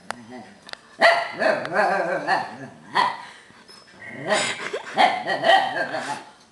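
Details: Tibetan Terrier Albus, talking rather than barking as he lectures a dog-sat beagle, lets out a series of wavering, yodel-like whines and groans in uneven bursts, with a few short clicks at the start.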